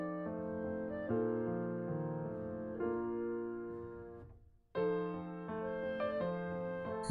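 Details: Sustained piano chords ring out in slow succession, with a brief pause before the next phrase; no animal voice is heard.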